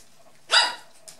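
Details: Poodles at play: white dwarf and toy poodle puppies, four and a half weeks old, with a brown adult female dwarf poodle. One short, sharp, bright bark, followed by a faint second yelp and a quiet background.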